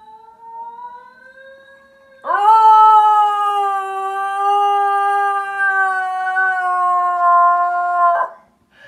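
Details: A Basenji yodeling at a fellow Basenji on TV gives a quieter, slowly rising howl, then a loud, sustained, tuneful yodel held about six seconds at an even pitch.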